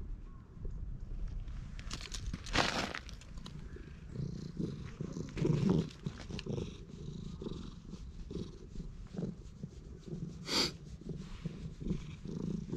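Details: Stray cat in a park being patted and stroked, filmed on a GoPro HERO8: a steady low rumbling purr runs throughout, broken by soft rustling, handling noises and a few sharp taps.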